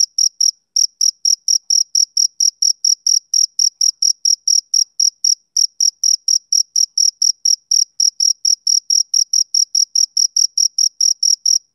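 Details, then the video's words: Rhythmic summer-evening chirps of a male cricket: shrill, short pulses repeated quickly and evenly with a couple of tiny gaps, each pulse carrying a faint upper harmonic; otherwise silence. "Cricket Chirping Sound Effect"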